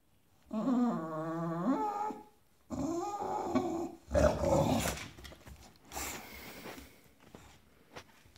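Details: Stubborn Bulldog indoors throwing a tantrum to make the other dogs give him room on the bed: a drawn-out, wavering, harmonic whine lasting over a second, a second moaning whine, then rough, gravelly growling bursts.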